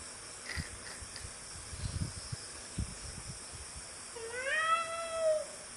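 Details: A domestic cat playing with a frog gives one drawn-out meow near the end, rising then falling. Before it, only soft low thumps and handling noise are heard.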